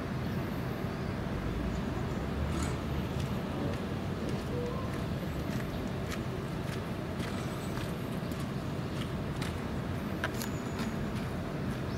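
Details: A steady low rumble of background traffic and crowd noise with occasional faint clicks and footsteps, and no animal calls.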